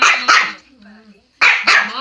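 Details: Two pet Chihuahuas barking in bursts: two sharp high-pitched barks, a short pause with faint background sound, then another quick pair of shrill barks.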